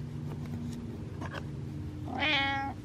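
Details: Butters, a pet cat wanting attention, gives one clear rising-then-falling meow near the end after a quiet indoor stretch with faint low hum and small noises; a person answers softly right after.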